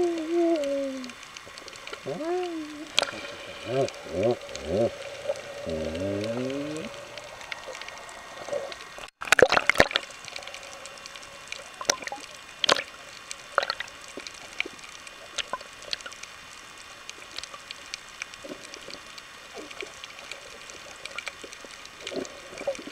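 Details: Galapagos sea lion. A Galapagos sea lion gives a run of wavering, rising and falling tonal calls underwater over the first few seconds. Sharp clicks, snaps and bubbling water follow through the rest of the recording.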